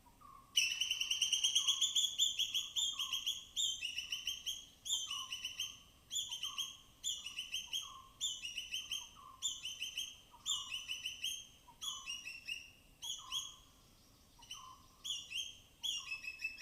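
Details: Native forest squirrels, foraging along rain-soaked branches in the dense evergreen forest of Tamhini Reserve, Western Ghats, give loud, high-pitched chattering bursts, cautious alarm chatters, repeated roughly every second and a half.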